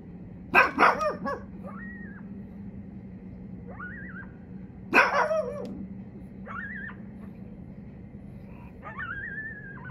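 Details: Pug dog on a back deck at night, barking at coyotes heard in nearby trees to drive them away: two short bursts of sharp barks, with thin, wavering, high yelps between them and a steady low hum.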